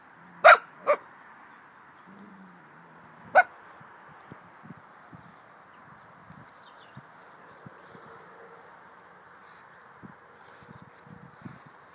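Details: Pet dog whose bark sounds like a baby's voice: two quick yaps in close succession, a third about two and a half seconds later, then quiet with faint clicks and shuffling.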